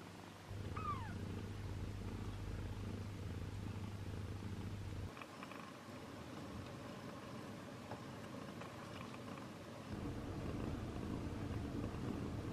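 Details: Indoors with Tessa, a long-haired British mother cat, her three kittens and an abandoned newcomer; a low rumbling purr runs throughout, a single thin mew early on, with a steady electrical hum dropping out midway.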